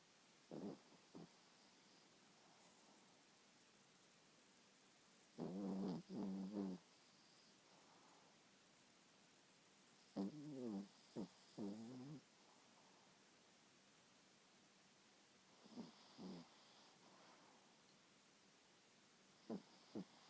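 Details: A sleeping seven-month-old chihuahua cross snores loudly indoors. Buzzy, rattling snore bursts of about one to two seconds come in clusters, separated by quiet stretches of faint breathing.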